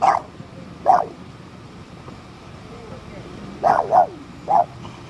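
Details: Puppy stuck in a car and guarding the wheel, barking in short high yaps: two spaced barks, a pause, then a quick pair and a final bark.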